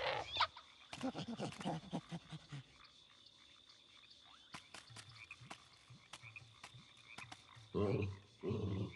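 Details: Frog calling in Sydney at Christmas, low croaks in a loud burst at the start, then scattered softer croaks with sharp clicks and a steady high whine, and two more loud bursts near the end.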